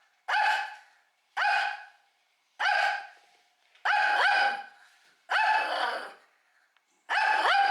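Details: Shih Tzu at home keeps barking to threaten at feeding time. Six loud, rich barks come about once every second and a half, some doubled into a quick two-part woof, with silence between.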